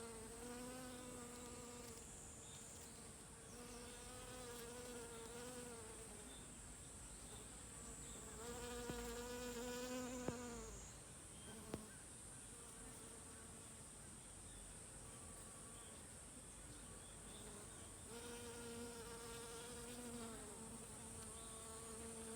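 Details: Worker honey bees busily gathering nectar among mountain hydrangea flowers: low droning buzzes swell and fade as bees fly past, in bursts of several seconds, over a steady thin high-pitched whine that runs throughout.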